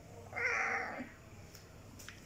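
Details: Hungry stray kittens eating food give a single short, thin meow lasting under a second, followed by quiet background with a few faint clicks.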